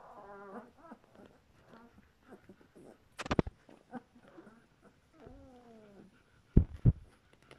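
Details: A litter of two-week-old German Shepherd puppies gives thin, wavering whines and squeaks, with a few knocks and bumps.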